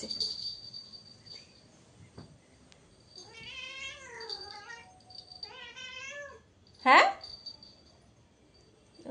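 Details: Domestic cat meowing indoors, two drawn-out harmonic meows, the first rising then falling, the second wavering, followed by a sharp short cry; Bengali speech and a faint high tone around it.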